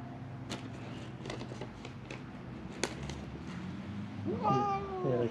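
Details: Hungry feral cat, one of three at a shut building on Mare Island Naval Shipyard, Vallejo, California, crying for food; tapping and rustling, then a loud wavering meow near the end, over a low hum.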